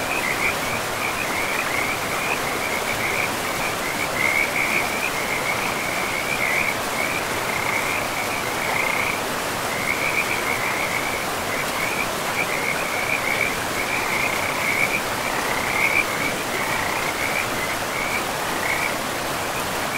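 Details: Frogs along a forest river produce a sustained, shimmering chorus of quick high pulses with small breaks every few seconds, while the river's broad, steady rushing fills the background.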